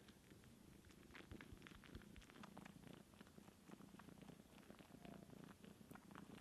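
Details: Kitten Sunshine dry-sucking on her aunt Divine, a cat with no kittens of her own, while being nursed indoors; steady low purring runs throughout with rapid wet clicking suckling sounds repeating several times a second.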